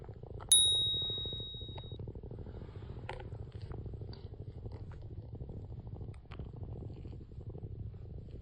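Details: Female calico tabby kitten purring as she slowly grooms herself, licking between her paws; a steady, low, finely pulsed rumble runs throughout, broken near the start by a single sharp bell-like ding and a few faint clicks.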